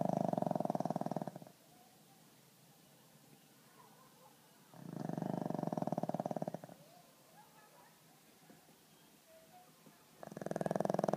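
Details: Sleeping pug Skol gives heavy rattling snores, each about one and a half to two seconds long, spaced around four to five seconds apart, with quiet breathing in the gaps.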